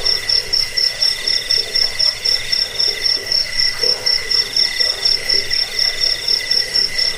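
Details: Cricket chirps for repelling rats and bird song training: a piercing high pulsed trill over a quieter mid-pitched chirp, pulsing evenly about twice per second for the whole stretch.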